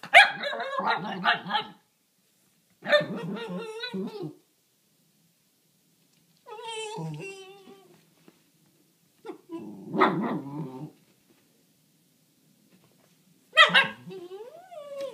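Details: Cisco, a pet dog, talking to a bunny behind the fence in a run of separate outbursts: rough, grumbling barks and growls mixed with high, wavering whiny yowls, each lasting a second or two, with short silences between.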